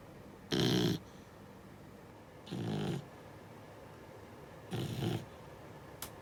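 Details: Sleeping six-month-old Beagle puppy snoring in uneven bursts: one strong rasping snore, then two softer, longer ones spaced about two seconds apart, and a faint click at the end.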